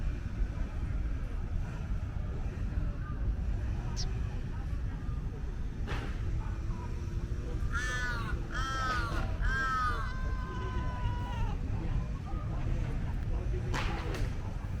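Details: Female tabby cat asking for petting from a friendly human utters a quick run of three or four arching meows, each rising then sliding down, set against a low continuous rumble with scattered clicks.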